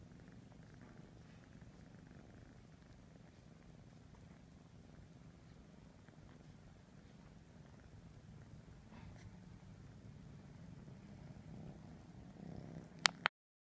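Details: Ralph, a three-and-a-half-month-old kitten, purrs while grooming his siblings to keep them clean; a soft, steady low rumble runs through the whole recording, with a couple of sharp clicks near the end.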